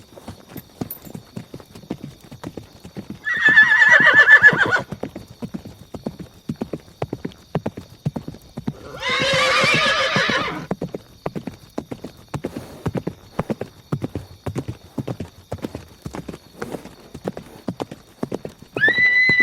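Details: Horse neighing twice, a short harsh whinny near the start and a broader, noisier one midway, over steady clip-clop of hooves throughout and a brief rising tone at the very end.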